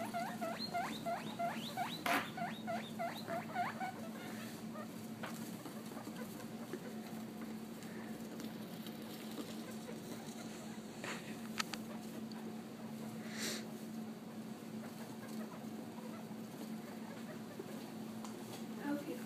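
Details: Baby guinea pigs struggling on a countertop to get under their mother and feed, opening with a rapid burst of repeated high squeaks, several per second, then fading to soft scuffling and occasional taps over a steady low hum.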